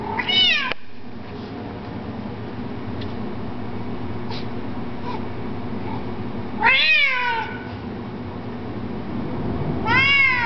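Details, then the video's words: Domestic cat Kito, noted for his loud, interesting voice, filmed in 2007: three loud meows, each bending down in pitch, separated by several seconds of quiet background hum with faint clicks. "Kito: monkey tail and loud voice"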